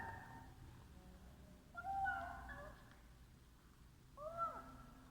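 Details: Cat meowing while eating: two drawn-out, wavering meows, the second rising then falling, over steady low background noise.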